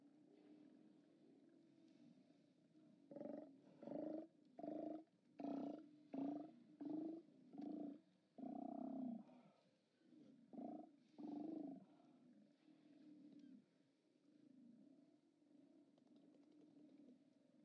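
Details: Steller sea lions at a haulout on 29 October 2017, seen on a live cam: a series of deep, throaty roars in quick bursts, about a dozen pulses over several seconds, over a steady low background rumble.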